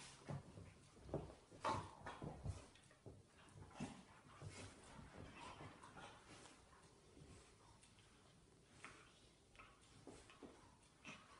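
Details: Two Irish Terriers, a 10-week-old female puppy and a 5-year-old male, play-fighting. Rough growls and snarls come in irregular bursts, loudest in the first three seconds, then softer, scattered grumbles.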